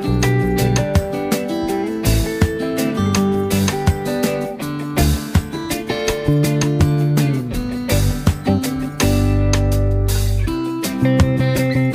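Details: Strummed acoustic guitar music with steady rhythm plays throughout, with no animal sound heard.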